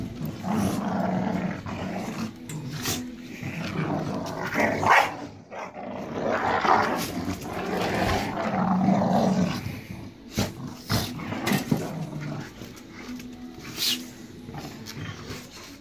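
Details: A family of Staffordshire Bull Terriers growl in low, rumbling bursts with scuffling thumps and snorts while tearing apart a toy.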